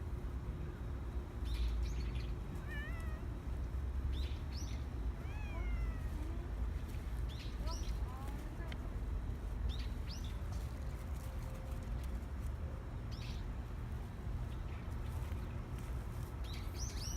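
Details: Rangrang, an injured stray cat regularly fed outdoors, returning hurt in November 2018, gives several short, arching meows with layered overtones near three, five and eight seconds, over a steady low rumble and scattered clicks.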